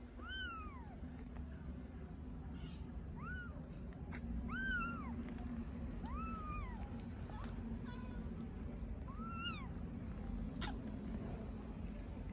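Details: Hungry little stray kittens in Istanbul calling for their mother cat, giving clear, high, arched meows every second or two, each rising then falling, with harmonics above, over a constant low hum.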